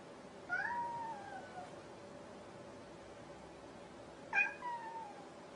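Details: A domestic cat indoors gives two separate meows about four seconds apart, each rising briefly and then sliding down into a drawn-out falling tone, over a faint steady hum.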